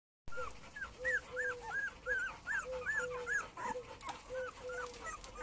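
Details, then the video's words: Male Cane Corso puppies of a kennel litter whimpering and yelping: short arched squeals repeat rapidly and irregularly, several pups overlapping, with steady low hiss behind them. "Cane Corso male puppies litter J"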